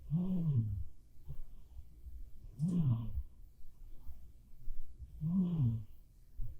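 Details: Black cat Bapuri, fast asleep, snores three times in steady rhythm, about every two and a half seconds; each snore is a low, rumbling inhale that rises slightly then sags, in a quiet room.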